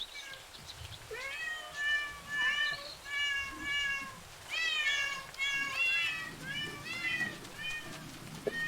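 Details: Cats filmed in parks, zoos and streets give a run of harmonic meows, each a short arched or falling cry roughly every half second to second, several overlapping in places, with faint low background rumble.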